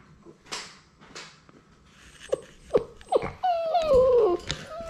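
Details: Playing Labrador Retriever puppies, six weeks old, from a litter of six: soft knocks, then three quick sharp yips and a long, descending, tonal whine that trails off into quieter squeaks.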